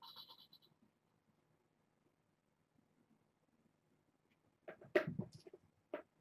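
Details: Kitten from a litter of six born August 29th, snuggling and napping at bedtime indoors: a brief, high harmonic mew opens, followed by quiet, then loud rustling and handling noises near the end.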